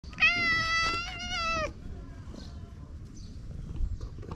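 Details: Stray cat in a park in Japan, affectionately rubbing against a person and enjoying being brushed: one long, steady, harmonic meow lasting about a second and a half, followed by quiet background with faint rustling.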